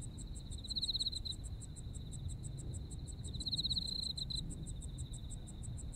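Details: Japan's autumn insects in chorus: rapid regular high pulses with a shrill continuous trill that surges loudly twice, about three seconds apart, over faint low-frequency background noise.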